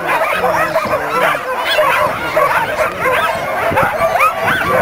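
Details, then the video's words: Dogs gathered for the Caribou Carnival 2007 dog races in a tight burst of high, eager yips and short barks piling over one another, with people talking in the background. "Dog Races, Caribou Carnival 2007"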